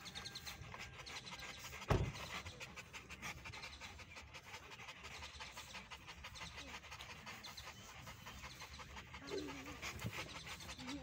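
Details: A huge Rottweiler at a dog show panting, with rapid, breathy pulses that repeat steadily throughout, a sharp knock near the two-second mark and a busy indoor background.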